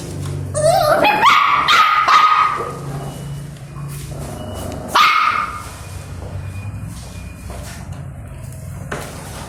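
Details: Two puppies fighting over food: a loud, drawn-out yelping bark that rises sharply and holds for over a second, then a second shorter yelp a few seconds later, with quieter low rumbling and scuffling between.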